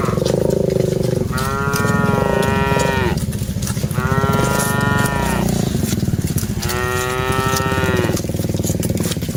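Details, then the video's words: Cattle being herded, part of a group of dozens, produce three long steady moos of about two seconds each, spaced regularly, over a loud rough background of ticking and engine-like rumble. "Aktivitas Mengiring Puluhan Sapi Lembu Lucu Suara Moo - Suara Sapi Moo Yang Lucu"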